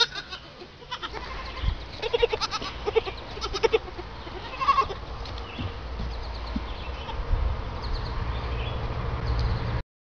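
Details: Young goat bleating in a series of short, bright, repeated bursts through the first half, against steady low rumbling background noise that continues throughout.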